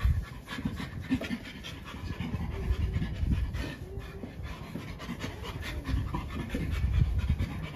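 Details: Chimpanzee living at Chimpanzee Sanctuary Northwest panting in soft, low, rhythmic breaths that come quickly and unevenly, with handling noises and light rustles mixed in.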